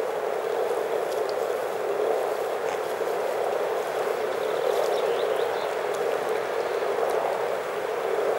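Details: Unbroken low bubbling drone from over 300 frogs in spring at Teisko in Pirkanmaa, Finland, the overlapping croaks merging into one even wash, with faint clicks and taps on top.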